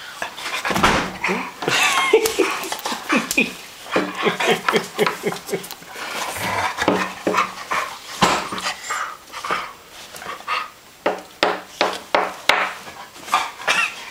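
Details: Three dogs at play make rapid rhythmic panting bursts and short huffs, with brief yips and scuffling mixed in, growing into a steady pulsing series of breathy grunts near the end.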